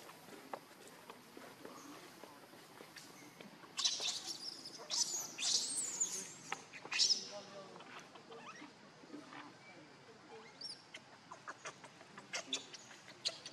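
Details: Baby monkey Leo crying and begging its mother for milk while hungry: shrill high-pitched squeals in a cluster of bursts midway, then scattered thin cries over a low buzzing, rustling background.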